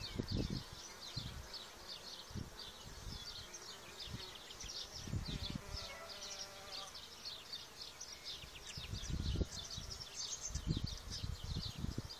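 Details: Continuous droning hum from many harmless solitary bees, spring pollinators of gardens and orchards, with overlapping high buzzing pulses throughout and frequent gusty low-pitched wind bumps underneath.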